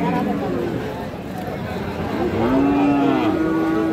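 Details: Cattle, Friesian and crossbred bull calves, at Raniganj market near Dinajpur on Thursday 31 July 2025; after a muffled stretch of crowd murmur, a steady low drawn-out moo rises clearly for about a second and a half, over busy market chatter.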